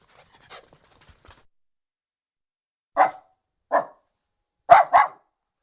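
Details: Lhasa Apso dog barking: after faint rustles, four sharp short barks, the last two in a quick double, in an otherwise quiet setting.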